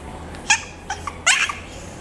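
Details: Chihuahua giving two short, sharp, high-pitched yaps about three-quarters of a second apart, with a couple of softer yips between them, indoors against a low steady hum.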